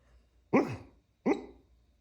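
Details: A dog asleep lets out two stifled woofs less than a second apart, each a short puffed bark sliding downward in pitch, with near silence around them.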